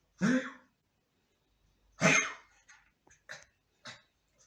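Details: A 13-year-old blind and deaf Shih Tzu with a bad cough gives two harsh, honking coughs in June 2023, and a person then softly calls its name.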